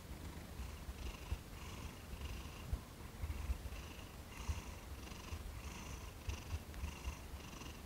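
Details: Thomas, a cat being massaged for the first time after about eighteen days of gentle handling, purrs loudly and steadily; the low, vibrating drone pulses with each breath in and out, with occasional soft bumps of handling.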